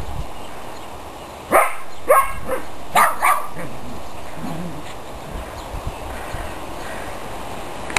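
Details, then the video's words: Four loud, clipped barks come in quick succession from playing dogs, then soft scuffling and background hum take over. "Dogs Playing"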